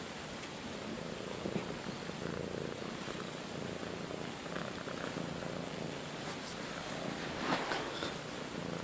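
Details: Pet cat, one of two sisters shut in a front bedroom, one friendly and one shy, giving an even, buzzing purr that runs unbroken through the short clip, with faint handling noise near the end.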